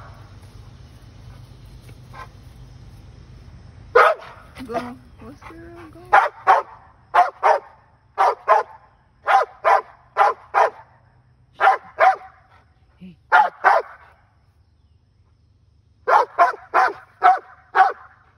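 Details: Dog chasing a squirrel barks in rapid bursts, mostly in pairs and threes, with short pauses between volleys and a low hum in the background early on.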